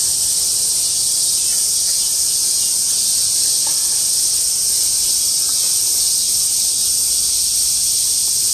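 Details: Massed cicadas singing in August 2008, an unbroken, intense high-pitched buzzing wall of sound that stays even in loudness from start to finish, with only faint low background rumble.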